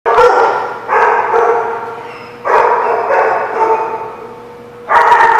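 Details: Dog recorded on 23 September 2017; loud, drawn-out harmonic barks, each lasting about a second and fading slowly, with four bursts spaced unevenly over a few seconds.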